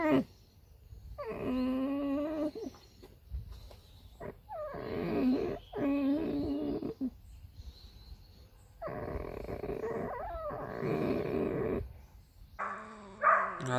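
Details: Pet red fox, a female kept at home, giving drawn-out quavering whines mixed with rough, raspy screams, in several bouts separated by brief pauses.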